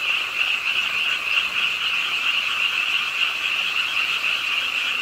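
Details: Frogs at the pond of Ingye Art Park in Suwon call during a rainy late night, overlapping fast croaks merging into a continuous high chorus, with a faint low hum beneath and falling rain.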